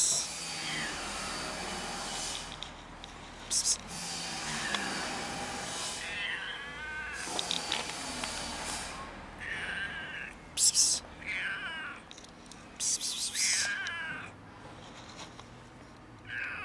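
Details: Fluffy female kitten that almost scratched before allowing herself to be petted, giving a series of short, bending meows every two or three seconds, interrupted by sharp hissing 'psst' sounds from a person and steady background hiss.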